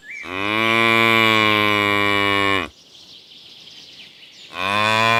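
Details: Baby cow on a farm lowing with a long, steady, deep moo of about two and a half seconds, rich and harmonic. A quiet pause follows, then a second moo begins.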